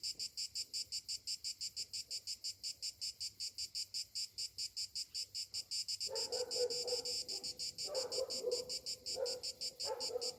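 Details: Morning cicadas in summer keep up a high, metallic pulsed buzz at roughly three beats a second; partway through, repeated lower barking breaks in beneath the drone.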